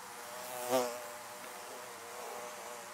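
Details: Bees buzzing around beehives: a single quick, loud fly-by just before one second, rising and falling in pitch, over a steady, even background hum of many wings.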